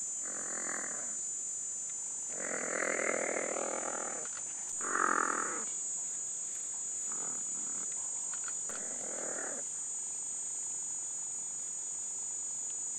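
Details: Black-footed cat mother Diva with her kitten Boy, part of a conservation project at the Cat Conservation Trust near Cradock, Eastern Cape; five harsh, broad calls of about a second each, spaced irregularly, over a steady high insect hiss.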